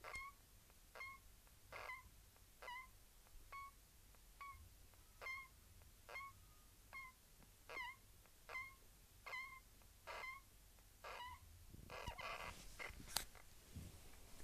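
A hamster gives short, squeaky chirps, repeated steadily a little under once a second.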